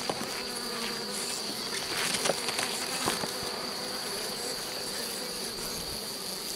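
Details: Continuous humming of honey bees during the rescue of a drone-laying hive, 3 May 2021. An even, airy drone is broken by scattered short clicks and knocks, with a steady faint high tone underneath.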